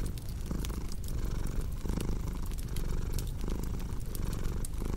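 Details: A cat purrs in a steady low rumble that swells and eases in breathing cycles roughly every one and a half seconds, mixed with the snapping, crackling pops of a cozy fireplace.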